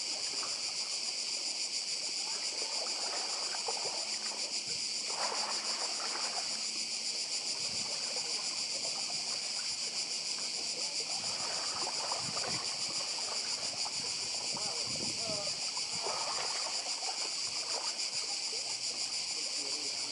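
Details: Cicadas chorusing on Badija Island, Croatia, beside the sea: a dense, continuous high buzzing drone that never lets up, with soft washing sea noise and faint splashes in the lower range.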